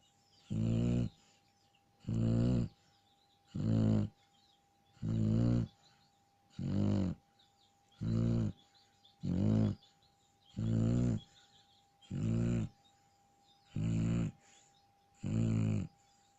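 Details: A Shar Pei asleep and snoring steadily, with about twelve low, raspy, rattling breaths coming every one and a half seconds in an even rhythm. Only faint background hiss fills the gaps.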